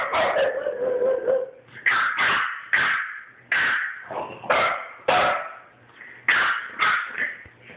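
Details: Two French Bulldogs, including a 9-week-old puppy, arguing; a long growly whine opens, then sharp harsh barks roughly every half to one second, loud and insistent, with a person's voice afterward.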